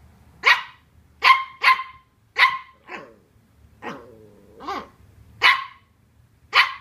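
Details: Colin the Welsh Terrier pup faces a cardboard box, mixing sharp barks with a low grumbling growl and a rising, wavering whine in the middle, roughly one bark per second.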